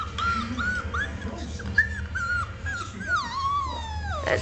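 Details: Five-week-old male bi-black Shetland Sheepdog puppy, born 2008, the largest of his litter, beside his father: a series of thin, high arched whimpers, then a long whine sliding steadily downward, over a low steady hum.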